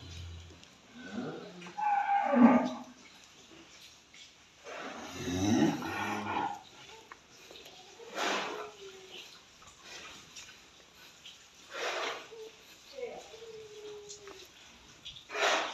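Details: Cattle offered for qurban sacrifice at a barn in Prambanan give short, scattered lowing sounds among quiet background noise and occasional clatter.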